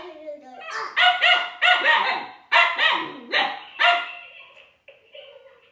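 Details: Juno, a Siberian Husky puppy, yapping at a toy robot called Dash: a rapid string of about six loud, high, yelping barks, trailing into a softer whining tone at the end.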